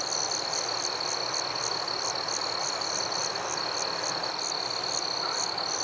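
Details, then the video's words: Forest crickets calling at night, a constant shrill trill with rhythmic higher chirps pulsing several times per second, plus a few faint extra high notes toward the end. "Crickets at Night"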